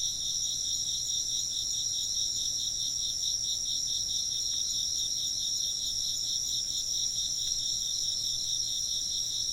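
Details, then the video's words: Steady chorus of chirping insects, high rhythmic pulses repeating evenly without pause, no other clear sounds. "風鈴の音と虫の声 - wind chimes and chirping insects"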